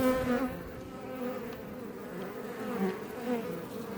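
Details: Iberian honey bees flying outside a Langstroth hive west of Roquetes, south Tarragona, Catalonia, Spain, near Els Port National Park: close-up steady droning hum with wavering overlapping tones as individual bees pass nearby.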